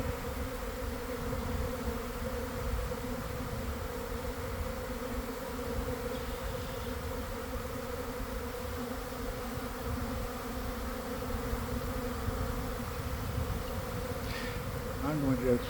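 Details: Swarming honey bees in a garden, early afternoon after a week of cold, damp weather, issuing from a hive: dense, steady droning hum with strong low bands, continuous throughout, a faint rustle near the end.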